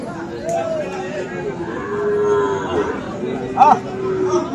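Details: Low, wavering lowing from Friesian and crossbred bull calves at Aftabganj market, Dinajpur, 10 December, several soft moos running together under market chatter, with a sharp brief higher sound near the end.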